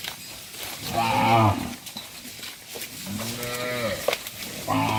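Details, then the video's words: Tame cattle being herded back to the farm pen, several animals mooing in turn: a strained nasal bellow, then a deeper smooth low moo, with another starting at the end over farmyard noise. "Herding Dozens of Tame Cattle Back to the Farm Pen: Funny Cow Sounds"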